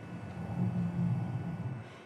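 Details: Male harbor seal (Phoca vitulina) underwater pre-roar, the opening of the mating-display roar: a deep, rumbling growl swelling and fading over about a second, part of male calls toward females.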